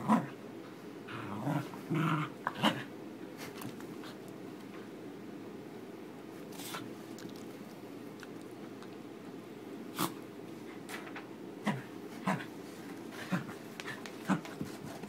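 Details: A fluffy corgi with a fresh summer haircut plays tug-of-war with his new rope bone, giving a low, steady rumbling growl broken by sharp scuffling bursts.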